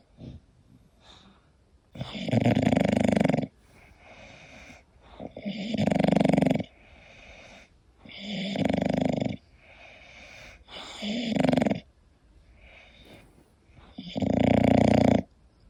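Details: An English Bulldog sleeping and snoring, five loud rasping snores repeating roughly every three seconds, each lasting about a second and a half, with soft wheezy breaths in between.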